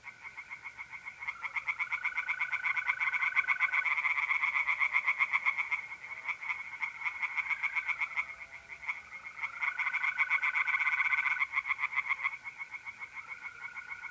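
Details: Several tree frogs sing at a pond by night in mid-April, north-east Italy, their rapid rattling croaks swelling and easing in waves, about four pulses per second, while mole crickets keep up a continuous trill.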